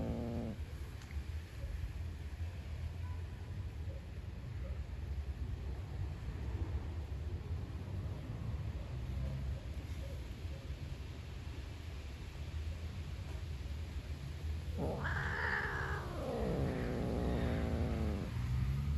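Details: Hungry black stray cat outdoors growling at a beige cat over food; mostly low rumbling noise, then one long wavering harmonic growl near the end lasting about three seconds.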